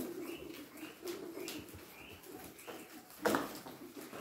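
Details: Guinea pigs being given kohlrabi give short, rising squeaks over soft, low murmuring, with a sharper squeal near the end.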